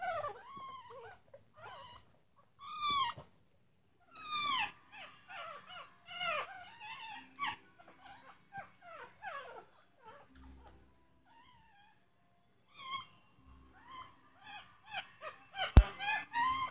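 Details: Litter of six tiny Chihuahua puppies making noise. Scattered shrill squeaks and thin whining howls come in short clusters with pauses, then a sharp click and renewed high squeals near the end, over a faint low hum.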